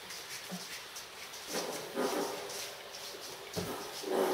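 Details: Lion cubs of the Mkondo litter, three and a half weeks old, whimpering: soft, breathy whines rise out of a hissing background at irregular moments, swelling briefly around the middle and strongest near the close.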